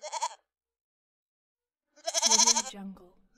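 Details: A brief high goat bleat, then after a pause a longer quavering bleat that drops into a lower tail.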